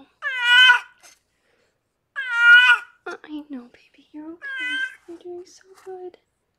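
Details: During labour, rescued foster cat Harlequin, delivering six kittens, lets out two long, loud, wavering meows about two seconds apart, then a shorter third cry amid low, calm human talking.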